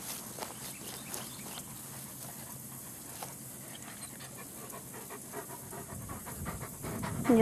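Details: Eight-week-old German Shepherd puppies on their very first outing outside in Florida, with their grandfather and mother nearby; rapid breathy panting runs through the recording while people talk close by, with a louder burst at the end.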